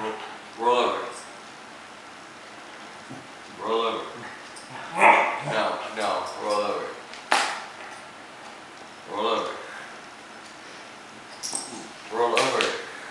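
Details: A Cocker Spaniel who has mastered rolling over refuses to obey. He talks back with moaning, yodel-like grumbles of about half a second each, while a person repeatedly commands "roll over" and "lay down" between his replies.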